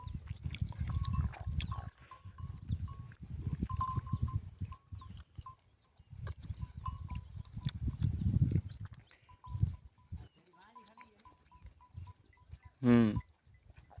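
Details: Camels in the morning in Tharparkar: low, rough grunting rumbles in repeated bursts, with a steady higher tone, a few bleating calls and one short rising wavering cry near the end.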